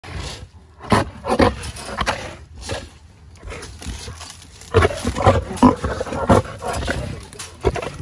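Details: African lion and lioness at feeding time in a feline section, giving loud broken roars and grunting bursts, several strong pulses around the first and fifth to sixth seconds, with background music.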